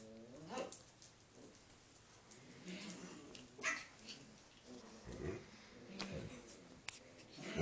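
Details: Five-week-old Alaskan Malamute pup at play with her father, giving a thin rising whimper at the start followed by scattered soft whines and huffs, plus a few sharper noises near the end.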